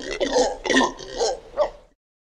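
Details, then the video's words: Howler monkey giving four rough, guttural grunting roars in quick succession over about two seconds, each burst deep and throaty with a hoarse rasp, followed by silence; no other sounds. "What does a Monkey sound like? (Howler)"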